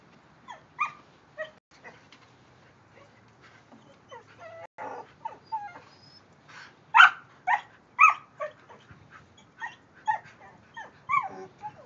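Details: Kerry Blue Terriers Quinn and Keely, the silver Kerry eager to play, with the neighbouring dog: high whimpering whines and short yips, rising and falling in pitch, coming in irregular bursts with brief pauses over a quiet background.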